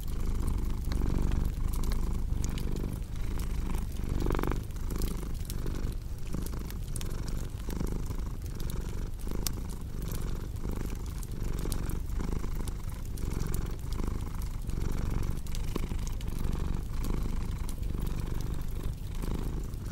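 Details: Domestic cat purring in a relaxing ASMR sleep mix: a deep, continuous low rumble rising and falling with each breath, overlaid by sharp crackles and pops from a cozy fireplace throughout.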